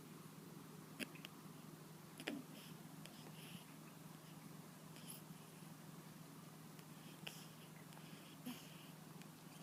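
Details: Indoor pet cat, ill with a cold that won't clear up, snores in its sleep; faint wheezy, noisy breaths come in short regular pulses above a constant low droning hum.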